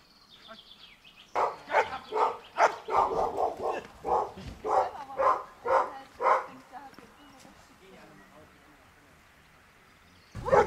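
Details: Giant Schnauzer Dea vom Wasserschloß barking during protection-work training: a run of about twelve loud, deep barks in quick succession, about two per second, then a pause with faint background sounds and a sudden loud noise at the end.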